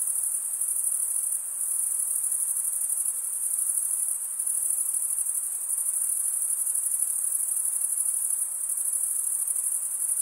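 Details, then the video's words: Crickets stridulating in an unbroken, very high-pitched shrill trill that holds steady throughout with faint rapid pulsing and slight swells in loudness; no other animals, voices or music. "Most relaxing cricket sound"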